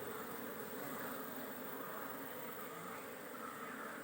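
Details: Steady droning buzz from honey bees at a managed hive in Kerala during beekeeping work, an even continuous hum with no breaks and low background rumble.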